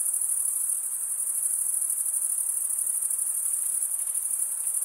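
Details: Several crickets stridulate together, wing against toothed wing, producing an unbroken piercing high trill with a faint, loosely regular pulsing of roughly three beats a second and a quiet background hiss.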